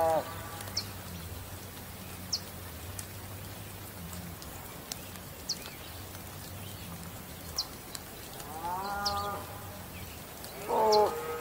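A bull gives two deep, drawn-out moos near the end, after a stretch of low rumbling and scattered clicks.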